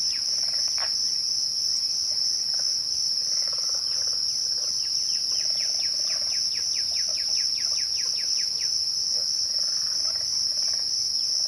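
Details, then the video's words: Crickets trill steadily and shrilly at twilight, an unbroken high tone, as a bird in the background delivers a quick run of repeated short chirps lasting several seconds. "twilight crickets"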